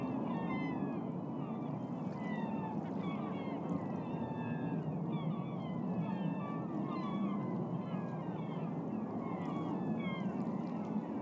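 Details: Dozens of beluga whales swimming upstream in Alaska's Naknek River in spring (26 April 2014) to feed on smelt trade a steady chorus of high, sliding whistles and squeaky chirps over a low rush of water.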